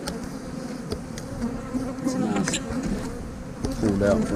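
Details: Honey bees humming at an opened hive as a beekeeper pulls out frames to look for larvae, a steady low drone with scattered sharp clicks of frame handling and a brief burst of voice near the end.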